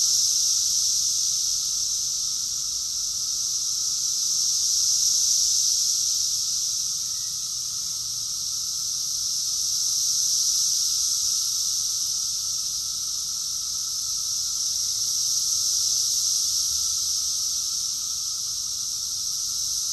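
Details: Cicada chorus in summer, recorded in June 2021 at Rockville, Maryland, USA: a dense, steady high buzzing hiss that swells and fades in slow waves roughly every five seconds, with a faint lower steady tone beneath.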